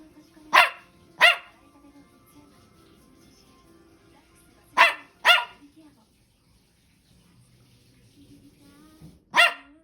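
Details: Noisy Toy Poodle at home, 10 April 2023: short, sharp barks in doubled bursts, two near the start, two after a quiet spell, then a single bark at the end, over faint background sound.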